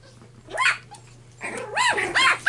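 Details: Red puppy named Tim, playing, lets out a soft whine and then two loud, arched, harmonic yelps in quick succession over a steady low hum.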